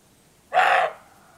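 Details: Roebuck in the Rhodope Mountains, Bulgaria, giving one coarse, hoarse bark before nightfall while bucks answer each other. The call is brief and noisy, with a quiet background.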